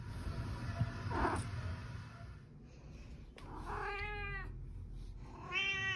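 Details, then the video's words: Pet cat, male, calling out each time he is touched; two short harmonic meows near the four-second mark and at the end, over steady low rumbling background noise. "My cat making a sound everytime I touch him"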